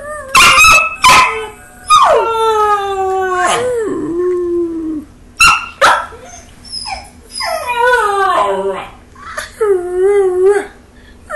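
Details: Belgian Malinois puppy vocalising back at its owner: sharp yips, then long, falling, wavering howls and whines in several bursts, varied and expressive, with a person speaking in between.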